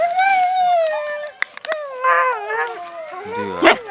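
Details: Siberian Husky puppies at mealtime whining in long, tonal, wavering cries, then a quavering, falling whine, some clicks and a sharp yelp near the end, with a person's voice faintly present.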